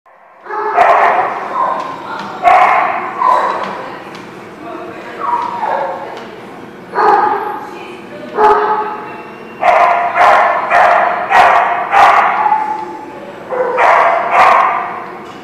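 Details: Dog barking in a series of loud, harmonic bursts, some single and some in quick clusters of two or three, spaced about a second apart across the clip.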